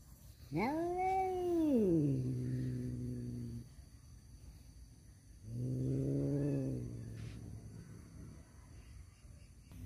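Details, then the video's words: Male domestic cats fighting over a female: two long, loud caterwauls, the first rising then sliding down into a low drawn-out moan over about three seconds, the second lower and shorter after a pause, against a quiet background. "suara kucing berantem rebutan janda"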